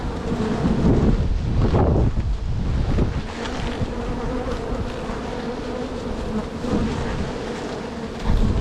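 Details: Honey bees from one of two strong, crowded backyard hives being split in spring to prevent swarming; a steady, dense droning hum fills the whole clip, with gusts of low wind rumble, loudest in the first two seconds.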